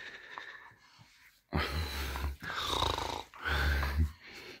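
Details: Tess, an English bull terrier, greeting her owner as she is woken in the morning: three loud, breathy wheezing snorts, each about a second long, with a quieter pause and a brief murmur before them.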